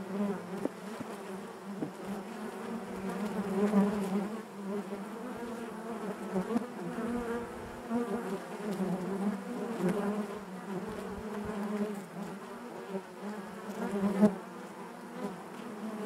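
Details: Natural buzzing of a honey bee colony inside the hive: a sustained, rich low hum with many overlapping wingbeat tones, gently rising and falling in loudness, with occasional sharp ticks and a loud swell near fourteen seconds.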